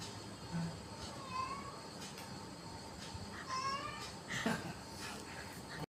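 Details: A talking cat gives three short, rising, nasal meows over about three seconds, set against a steady hiss of background noise.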